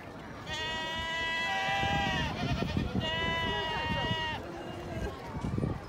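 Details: Goats at a goat farm in Amsterdam Forest, the Netherlands: two long, steady, nasal bleats, the first about two seconds and the second a little shorter, separated by a brief pause, with low murmuring of people underneath.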